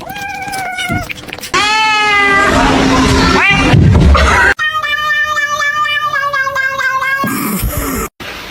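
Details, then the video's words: House cat yowling in long, wavering, drawn-out meows, one rising and falling, then a steady pulsing wail over several seconds, with people talking and music underneath. "kitten meowing cute"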